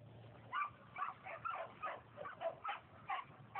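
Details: Trained Border Collie cattle dog in Tennessee giving a run of short, sharp barks, roughly two per second and slightly uneven, over a steady low hum.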